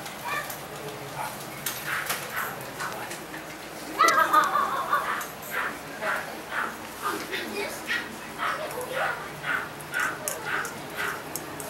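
Miniature Dachshund puppies give short, high yips and barks, repeated in quick irregular bursts.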